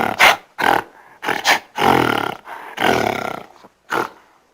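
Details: Gorilla vocalising in irregular, harsh, growling bursts. Short grunts alternate with longer, rasping growls of about half a second each, separated by brief pauses.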